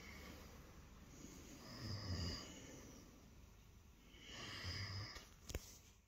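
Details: Lilo, a house cat, purring in the early morning after jumping onto the bed for attention; two slow breathy swells of low rumbling purr with airy high tones, a brief click near the end.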